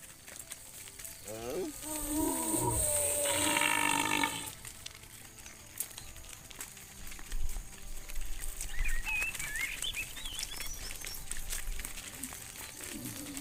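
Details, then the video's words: A herd of tame cows ambling along a dusty road home to the barn; a loud, rough, wavering moo of about three seconds, followed by outdoor shuffling and faint bird-like chirps. "The sound of cows mooing, a herd of tame cows wandering around on the road home to the barn"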